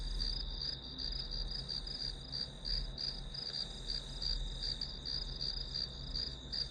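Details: Grass insects trilling as background sound while studying. The piercing high chirr pulses rapidly without pause, and a faint deep rumble sits beneath it.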